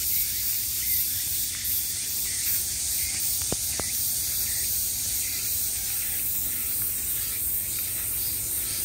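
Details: Cicadas buzzing in summer, an unbroken high, sizzling drone with rhythmic swells, and a couple of short faint clicks partway through.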